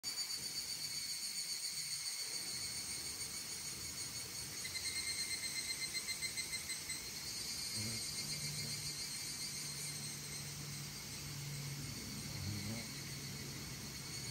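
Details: Evening cicadas (Tanna japonensis) in Itoshima, Fukuoka, Japan, in July 2022 sing a high, shimmering chorus of ringing, pulsing trills that swell and fade. Their call peaks in the morning and evening at the end of summer.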